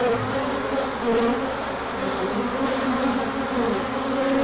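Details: Many bees in a large orientation flight on a sunny day after colder weather, 24 March 2024. They make a dense, steady, wavering buzz with overlapping drone tones that slide up and down, and no pauses.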